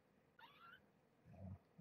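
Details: Cat from Springfield Kittens at Purrfect Pals, where Marge, a formerly pregnant stray, is raising her growing litter indoors during morning feeding; one brief, thin, high mew wavers upward, followed by a low, muffled rumble and quiet room noise.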